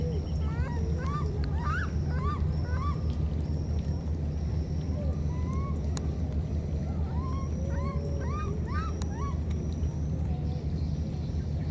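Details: Two baby monkeys separated by a flood call to each other: bursts of high, arched, chirping calls rising and falling, clustered early and again near the end, over a constant low droning hum.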